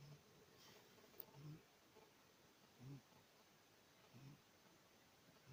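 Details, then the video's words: Six-month-old Maine Coon kitten snoring indoors: soft, low, rasping snores repeated steadily about every one and a half seconds in a quiet room. "Котенок Мейн -кун (6 месяцев) храпит Kitten is snoring"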